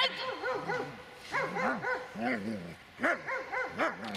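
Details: Dobermann named Magmar von der Burgstätte, aged 8 years 6 months, giving a run of rising-and-falling whining yips and moans, several overlapping calls in quick succession over about four seconds, with faint background noise.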